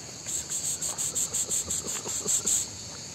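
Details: Cicadas singing outdoors at La Ciotat on the French Mediterranean coast, near Marseille: a dense high-pitched buzzing pulsed in rapid regular bursts, about four per second, with faint low background noise.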